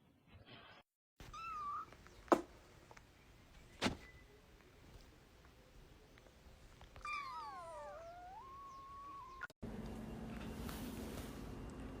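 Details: Domestic cat giving a faint, drawn-out meow that dips and then levels off, with an earlier brief mew, sharp thumps and a quiet room hum.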